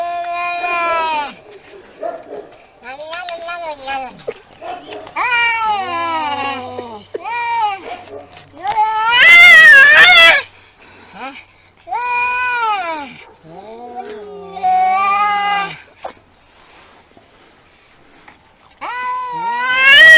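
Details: Cats in a fight trade wavering caterwauls, rising and falling harmonic wails with a sudden loud screeching burst midway, then more drawn-out yowls and quiet pauses between calls.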